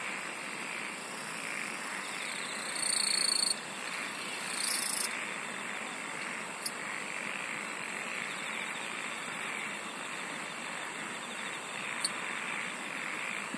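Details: Singing insects fill a thick nighttime-like chorus with constant shrill tones and fast, finely pulsed high trills, and a louder buzzy burst swells twice midway. Brief sharp ticks punctuate the steady hiss of many overlapping callers.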